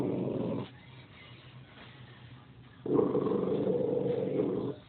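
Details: Cha Che, a pet dog, barking at nothing: two rough, sustained mid-pitched growl-like vocalizations, the first short at the start and the second lasting about two seconds, separated by a quiet stretch with faint low background hum.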